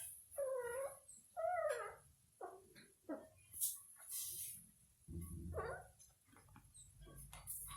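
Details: Domestic cat playing, uttering a series of short, plaintive mewing calls, some bending down then up, spaced about a second apart among rustling and handling noises.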